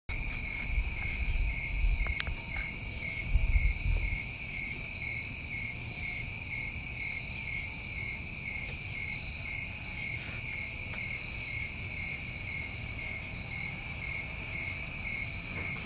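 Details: Crickets recorded in summertime New England form a steady chorus of continuous high trills, two unbroken bands of buzzing that hold without pause throughout, with a low rumble underneath and a brief faint higher chirp near the middle.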